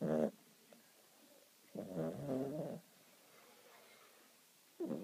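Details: Sleeping house cat snoring, with a brief raspy breath at the start, a fuller buzzing snore of about one second midway, and another beginning at the end, separated by near silence.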